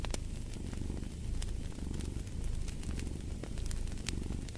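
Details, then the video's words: Low continuous purring from a cat, pulsing gently with its breathing, mixed with frequent crisp crackles and pops from a burning fireplace. "Purring of a Cat"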